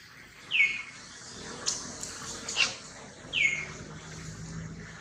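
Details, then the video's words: Newborn baby monkey Jody, carried by the kidnapper Spring, cries loudly: two high, falling squeals about three seconds apart, with faint clicks and rustling between them. "baby newborn Jody crying loudly on hand kidnaper Spring"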